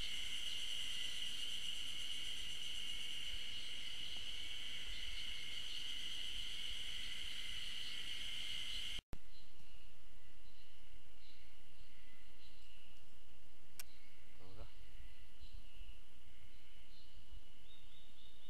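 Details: Ezo spring cicadas singing unseen on 15 June 2012 along a forest trail at the Okhotsk campus of Tokyo University of Agriculture, Japan. A dense, steady, shrill buzzing chorus with a pulsing texture runs loudly, then continues fainter after a brief break.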